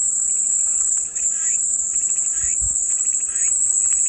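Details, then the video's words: Loud, even cicada buzzing, a bright sizzling tone without pause, with soft chirps beneath and a brief low thump near the middle, offered as calming white noise. "마음이 평온해지는 매미소리"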